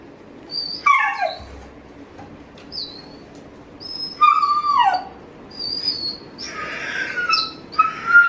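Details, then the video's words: A Dobermann waiting eagerly for its owner gives high, squealing whines that slide downward, in about five separate bursts over eight seconds, with short quiet gaps between them. "waiting for dad eagerly making funny sound"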